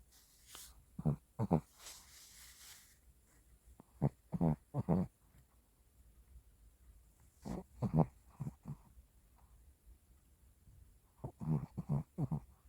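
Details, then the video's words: A sleeping Shih Tzu snores indoors in short, low, rasping snorts, often in pairs, coming in clusters around one, four to five, eight and eleven to twelve seconds, with quiet breathing between. "자는거 찍지마라~#shorts#강아지#시츄#코골이"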